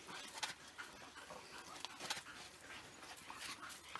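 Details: African wild dogs of a pack near Machaba, feeding at an impala kill just after the hunt; brief high squeaky calls stand out every second or two over steady rustling and scuffling at the carcass.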